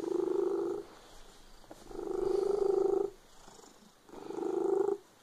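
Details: Domestic cat purring loudly, three rumbling bursts under a second long each, about a second apart, with quiet pauses between them.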